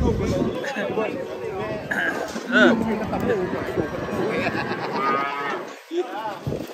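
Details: Cattle unloaded from a truck, one calling with a wavering moo that rises and falls while several people talk and shout around it.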